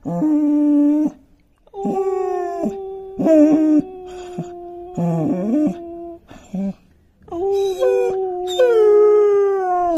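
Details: Five-month-old long-coat German Shepherd puppy irritated by a sound, giving a series of howls: flat held tones of one to four seconds, some wavering and breaking, separated by brief pauses.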